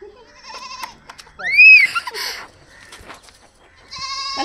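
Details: Goat bleats while a young girl runs about herding grazing goats: short harmonic bleats, then a wavering rising-and-falling cry midway and another bleat at the end, with children's voices and rustling nearby.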